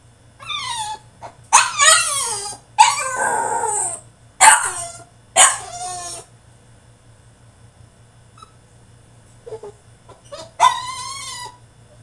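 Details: French Bulldog throwing a tantrum in his cage: loud harmonic whines and yelps, some sliding downward, in bursts over the first six seconds, a quiet stretch, then one more rising-falling whine near the end, over a steady low hum.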